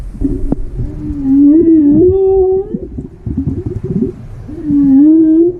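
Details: A whale off Croatia gives long tonal moans that slide upward and waver, each held a second or more with bright overtones, two calls separated by a rougher, lower rumbling stretch.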